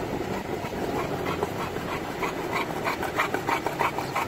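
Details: Olde English Bulldog cruising in a car on a sunny day, drooling: quick raspy panting, roughly three breaths per second, over a steady low rumble of engine and road noise.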